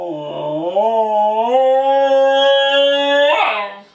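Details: A young Siberian Husky named Nanuk, practising his howling indoors as a little serenade, gives a long, smooth, rising howl that holds steady before breaking off.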